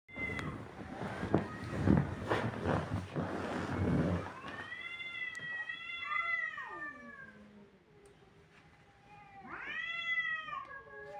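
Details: Kittens crying: broadband rumbling noise fills the first four seconds, then drawn-out, wavering meows rise and fall, with a second bent, falling cry near the end.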